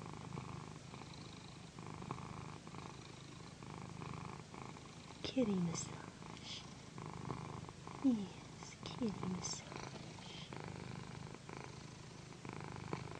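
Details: A female cat named Pandy, known as a loud purrer, keeps up a low pulsing purr while massaged on a satin pillow. Her breathing sets a slow rhythm, and soft spoken words break in around the middle.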